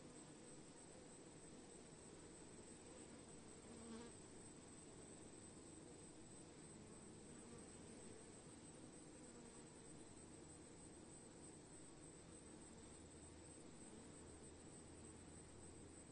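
A swarm of honey bees makes a dense, unbroken buzzing hum.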